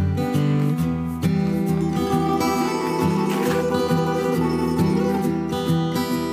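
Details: Steady strummed acoustic guitar music plays throughout, with no animal sound.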